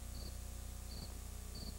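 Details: Cricket chirping on a tape played back so its chirps can be counted to work out how warm it was when recorded; three short high chirps, about two thirds of a second apart, over a steady low hum.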